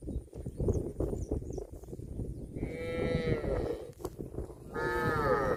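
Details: Tame cattle in a herd foraging in a green field give two drawn-out harmonic moos in the second half, each lasting about a second. Steady low rustling and grazing noise runs underneath.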